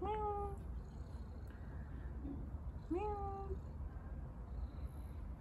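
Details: Stray kitten living on the street, given water, meowing twice about three seconds apart; each meow a short rising then level harmonic cry, over low steady background rumble.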